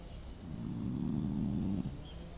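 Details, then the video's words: Snoring dog, one drawn-out, low, rattling breath lasting just over a second, rising and fading smoothly against a quiet hiss. "Cachorro roncando"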